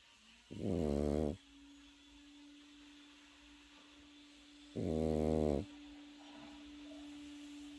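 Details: Pekingese puppy snoring in sleep: two loud, raspy, harmonic snores about four seconds apart over a steady low electrical hum.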